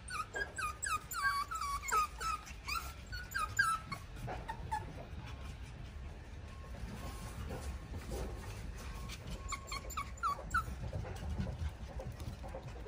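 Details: Five pug puppies curiously attacking a cat; high whining yelps and squeaks in bursts during the first four seconds and again near ten seconds, with quiet rustling between.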